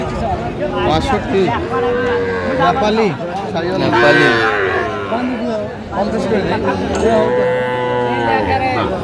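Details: Market scene in Cumilla, Bangladesh, January 2025, with a Sahiwal bull calf for sale. Repeated sustained moos sound at roughly two, four and seven seconds amid loud bargaining talk and faint music.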